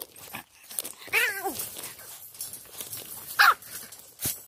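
Young Yorkshire Terriers produce a quavering, descending whine lasting about half a second, followed after a pause by a brief, high yelp that drops quickly in pitch. Faint background rustling and a short click are also heard.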